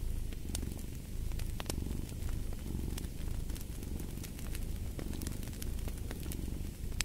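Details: Deep, continuous purring from a cat in gentle rhythmic surges, mixed with frequent sharp snaps and crackles of a burning fireplace.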